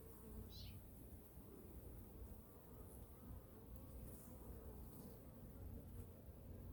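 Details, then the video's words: Winter inspection of honey bee hive #2, with food reserves checked and feeding under way; a quiet, even low drone from the colony, with a brief high sliding chirp near the start and light handling noise. "Honey Bee Colony Inspection (WINTER) | Hive #2 Weekly 🐝 Checkup & Feeding| honey bee hive inspection"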